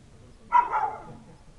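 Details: A village dog on a winter night in January 2017, waiting for its owner, gives one short, full bark that trails off, against a quiet background with a faint low hum.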